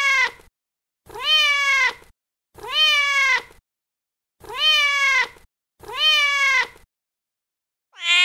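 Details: A feral mother cat calls to her kittens with five steady, tonal meows, each near a second long with a slight rise and a falling finish, repeated about every one and a half seconds, a sixth starting as it ends. No other sounds.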